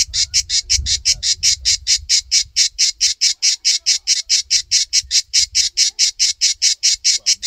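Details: {'caption': 'Cicada on a tree in a backyard, well camouflaged against the bark, giving loud harsh buzzy pulses about four per second in a steady, even series, with faint low rumble underneath.'}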